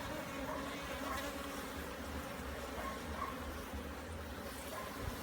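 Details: Bees in Jamaica during a hive inspection, a frame with larvae being checked for mites and disease: a dense, steady low buzzing drone fills the recording, with a deeper continuous hum beneath and faint sharper tones above.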